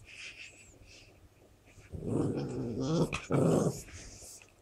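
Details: Shar Pei dog growling: a low, rough, rumbling growl rising after a quiet start, with a brief break before a second strong burst, in a small indoor room.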